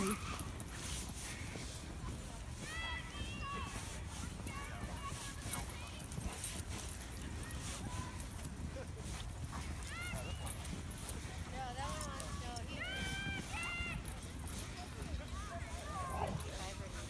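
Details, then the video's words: Huskies and malamutes meeting in the snow, giving repeated wavering, bending woo-like howls and whines scattered across the recording, several overlapping at times, over steady background noise. "Husky & Malamute meetup in the snow"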